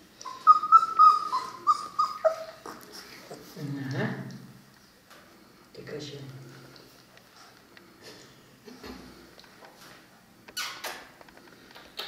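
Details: Three-week-old Cane Corso puppies giving high, thin whimpers that slide up and down for about two seconds, then lower grunts, soft human speech and scattered clicks and handling noises indoors.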